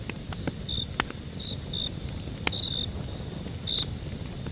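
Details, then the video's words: A brief stretch of night crickets: a high, even trill holds steady while a few short chirps sound at a slightly lower pitch, punctuated by loud crackles from a nearby fire. "calm night camp with cricket sounds and crackling fire"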